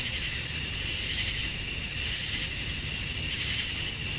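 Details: Outdoors in Georgia, USA at summer dusk, male cicadas chirp to draw females: an unwavering, intense high buzz layered with a thin steady whistle-like tone, no pauses.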